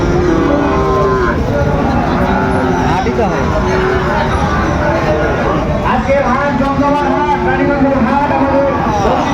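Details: Sahiwal bull calves at a busy cattle market in Raniganj, Dinajpur, Bangladesh, on 8 August 2024; drawn-out harmonic moos rise and fall over loud crowd chatter, people talking, and passing vehicles.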